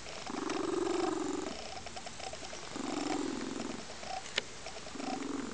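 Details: A female lynx-point Siamese cat, content on a sunny windowsill on a weekend afternoon, purrs loudly and steadily in long rumbling phases with pigeon-like cooing, pausing about every two seconds.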